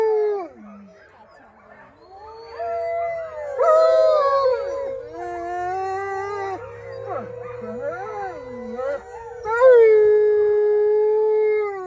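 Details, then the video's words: Captive wolfdogs at Howling Woods Farm, New Jersey, join in a howl started by a guide. Several voices hold long tones with bending, rising and falling pitch. They overlap densely, surge twice and end on a sustained note. "Howling at Wolfdogs at Howling Woods Farm in New Jersey"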